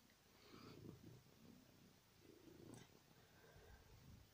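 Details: A pet cat purring softly while falling asleep on a bed: a low, rumbling, pulsing hum in slow waves, quiet throughout, with one faint click partway through.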